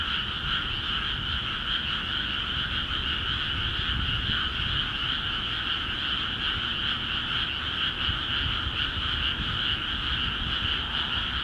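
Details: Many frogs croaking in newly flooded paddy fields of Akiha Ward, an unceasing wall of rapid, rattling trills in two pitch layers, even in loudness from start to finish, with faint low rumble beneath.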